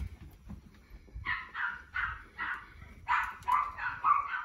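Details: At peak excitement during play with the female Sara, the male tricolour Cavalier King Charles Spaniel Yoichi from Fukuoka gives cat-like calls: eight or so rapid, tonal meow-like yelps in two quick bursts, nasal and wavering.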